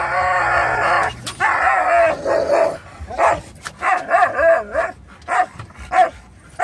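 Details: Jack, a Norwegian Elkhound mix, whines and howls with excitement as the car turns toward PetSmart, joined by a Labrador mix and Rat Terrier; a long wavering whine gives way to a series of short yips and barks, car hum beneath.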